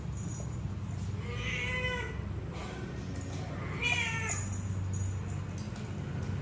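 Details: Pet cat named Joly, playing happily with a new toy he never had before, gives two drawn-out harmonic meows, one around the second mark and a louder one near four seconds, over a steady low hum and brief human talk.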